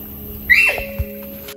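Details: A large Yezo sika deer in Hokkaido, one of two hidden in a thicket in summer, gives a single piercing, squealing whistle that falls away within half a second, a threat call at an intruder, over a faint hum and soft thump.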